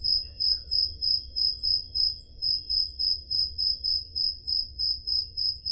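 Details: Crickets chirping on a summer night in Peloponnese, Greece, captured on a Zoom H5 recorder: a steady, high, trilling pulse repeated about three times per second, with a soft low background rumble.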